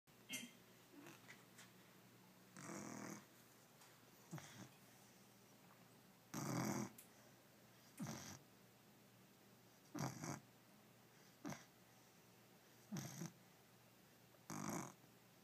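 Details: Sleeping puppy snoring softly: short breathy snores recur roughly every one to two seconds against a quiet, hissy room background.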